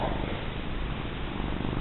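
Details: Plump female house cat purring as she is petted and rubbed, a low, even, rattling rumble that pulses continuously throughout.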